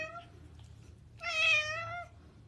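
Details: House cat indoors, meowing twice. The first meow is soft and short. The second is a louder, drawn-out, slightly falling meow of about a second. There is a quiet room hum behind it.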